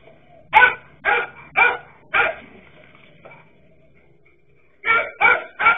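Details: Dachshund dogs barking at a king cobra, several loud clipped barks about half a second apart, a short lull with low background hum, then three more quick barks at the close.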